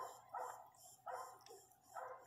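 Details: Pinscher bitch whimpering during the birth of her first puppy; three muffled, nasal whining cries at roughly one-second intervals, with faint background hum.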